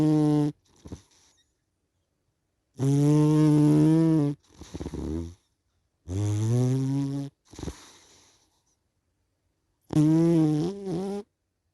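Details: A sleeping cat snores in a steady cycle. Loud, drawn-out droning inhales, each followed by a short breathy puff, repeat about every three to four seconds, with quiet pauses between breaths.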